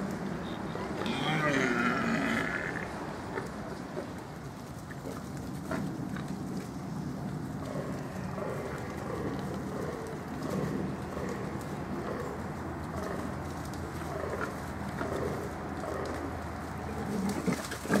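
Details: Wild boar (Sus scrofa) in a forest during the autumn rut give low, rough mating-season grunts repeated in quick, uneven runs.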